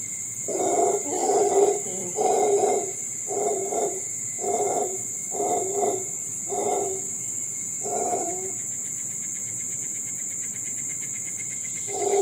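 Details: Howler monkeys in the wild roar in gruff, throaty bursts about once a second for roughly eight seconds, then fall quiet, leaving a constant high-pitched insect buzz before one final roar starts at the end.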